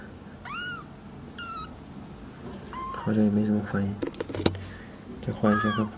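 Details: Small domestic cats being scratched indoors, several kittens in a household; a few high, arched meows early on, later more meows mixed with a woman talking in Mandarin.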